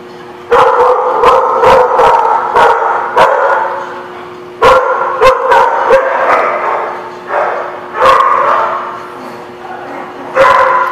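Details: Dog recorded 24 October 2016 at The Barking Lot, giving drawn-out, harmonic, whining barks in several runs of one to two seconds, punctuated by sharp clicking knocks, with quieter gaps between bursts.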